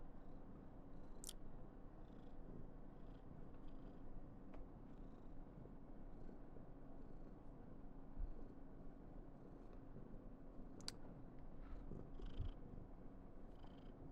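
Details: A continuous low, even purr from Karen, a female Somali cat, in a very affectionate mood. The rumbling drone stays level throughout, with occasional soft clicks and taps in the room.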